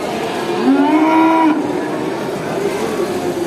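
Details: At a traditional animal market, a single cow gives a clear, steady moo lasting about a second that ends abruptly, followed by fainter calls over a noisy crowd background.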